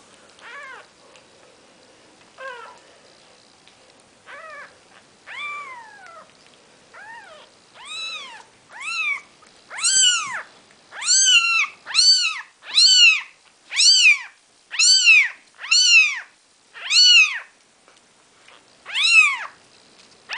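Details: Four-day-old Maine Coon kittens from a litter named the seven dwarfs, with their mother Nikita, give repeated high arched mewing cries, quiet and sparse at first, then loud and steady, roughly one every second.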